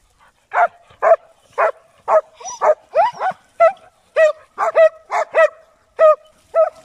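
An English Springer Spaniel barks in sharp, fairly high yelps, about two each second.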